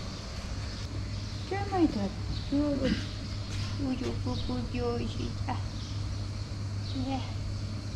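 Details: Very hungry long-tailed she-cat begging for food and affection, giving a burst of bent, harmonic-rich meows, some quick and stacked, between coaxing human calls, with a constant low mechanical hum beneath.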